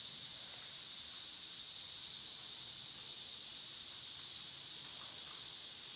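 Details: Cicadas singing in summer, their droning chorus forming an unbroken shrill hiss that fades very slightly toward the end.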